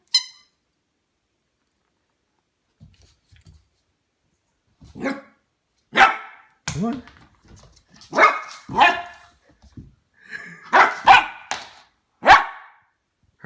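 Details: Harvey, a 10-week-old Goldendoodle puppy indoors, barks at a new plastic toy he is wary of; sharp bursts of barking, some in quick pairs, spaced over several seconds, with a person's coaxing voice between them and light scuffling.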